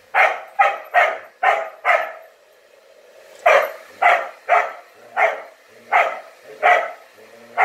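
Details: Pet dog upset by a blowdryer, barking indoors: a fast run of five sharp barks, a short pause, then six more evenly spaced barks, with a faint steady hum of the dryer underneath.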